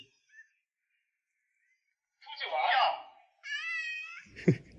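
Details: Domestic cat out at a shopping mall, meeting admirers and eagerly seeking petting; a short high, steady meow follows a burst of human speech, then a brief thump.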